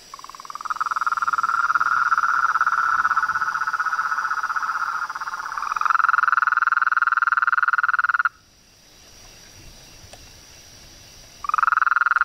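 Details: Frogs, toads and treefrogs in chorus: a dense, rapidly pulsing trill at a steady mid pitch with a fainter high hiss above, cutting off abruptly after about eight seconds, near silence for three seconds, then resuming.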